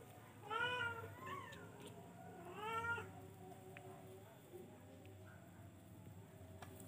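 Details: Charcoal F1 cat giving a few faint, short, rising-falling meows in quick succession, then quiet, over a steady background hum.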